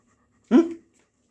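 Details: German Shepherd Dog named Max, a trained family dog scolded and acting guilty, gives one short whine of about a third of a second, rising sharply then holding level before fading, with near-silence before and after.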